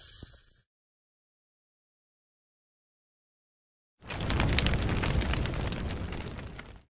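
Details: Eastern hognose snake filmed in fall 2019, hissing and flattening out to scare away a potential predator; after a few seconds of silence comes one long breathy, broadband hiss lasting about three seconds, then it stops abruptly.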